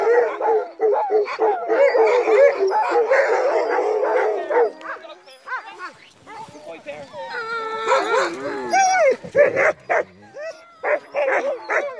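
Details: Night dogsledding in falling snow with a team of crossbred husky mixes. Dense yipping and howling fades after a few seconds, then scattered whines, short howls and barks follow with quieter gaps.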